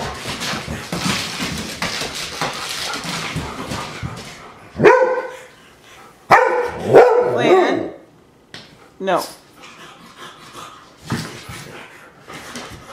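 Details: Irish Setter, a gundog breed from Ireland, gives a few loud, ringing barks and yips in the middle stretch, after a noisy start of rustling and shuffling, with a person's voice speaking between the barks.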